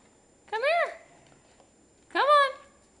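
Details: Indoors one night, an 8-week-old Pembroke Welsh Corgi puppy plays with a Havanese. One of them gives two short, high, arching yelps about one and a half seconds apart, with a quiet room between them.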